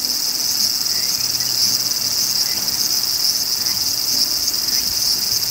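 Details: Large brown cicada singing a continuous, even, high sizzling drone like hot oil spattering, with no pauses or change in intensity over the whole stretch.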